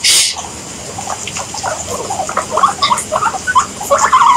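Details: Pet guinea pig making short chirping squeaks in a rising, irregular series, brighter and denser toward the end, with a sharp hiss at the start and light background noise.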